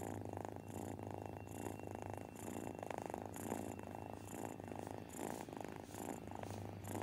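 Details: Disabled Persian cat, rescued from the streets, purring while being spoiled indoors; a steady low rumble pulsing in breath cycles roughly every 0.7 seconds, with soft rhythmic hiss bursts and no other sounds.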